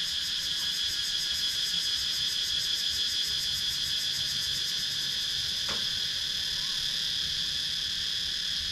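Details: Cicadas in a wooded rural area of Sakon Nakhon, Thailand, GoPro Hero 9 recording: an intense, shrill, rapidly pulsing buzz holding constant throughout, with a single brief click partway through.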